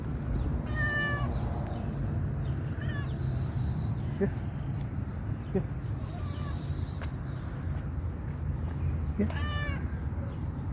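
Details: Stray cat outdoors giving several meows, drawn-out whining calls with bright rising and falling harmonics, spaced a few seconds apart over a constant low rumble of background noise.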